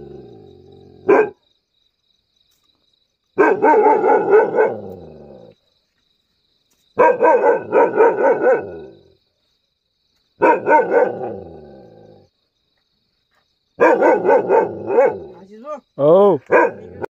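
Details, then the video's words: Mudhol hound, also called Caravan hound, barking aggressively: bursts of loud, deep, rapid barks in clusters of several seconds separated by silent gaps, ending with higher yelping, whining notes. "dog barking | caravan hound dog | mudhol hound | dog attack"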